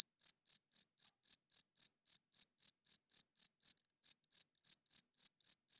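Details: Male cricket at night, chirping by rubbing its wings to attract females and hold territory: loud, shrill pulses repeated about four times a second in a steady rhythm, with one slightly longer gap midway and a clean, quiet background.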